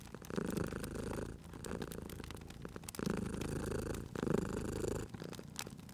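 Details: Cozy cat purr at a crackling fire: low buzzing purr in distinct surges of about one to one and a half seconds, with frequent sharp crackles from the fireplace.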